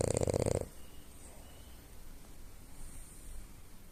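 A French Bulldog gives one loud, rattling, rough snore, then near quiet follows.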